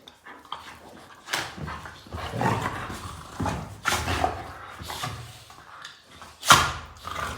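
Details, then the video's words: Pet German Shepherd named Sophie barking in reaction to a person snoring: short, sharp broadband barks come at irregular intervals, about five over several seconds, the last one loudest, with quieter shuffling between them. "My Dogs' Reaction To My Snoring"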